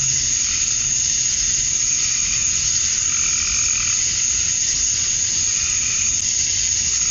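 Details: Male cicadas at summer dusk in Georgia, USA, calling to attract females: a constant piercing insect hiss, with faint lower calls from another animal drifting in around the middle.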